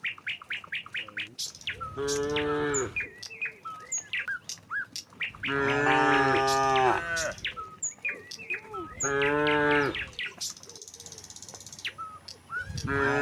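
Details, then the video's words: A herd of tame cattle strolls from the next village toward the pen. Three long, rich, harmonic moos come at intervals, and bright, rapid bird chirps and twitters fill the gaps. "suara sapi moo"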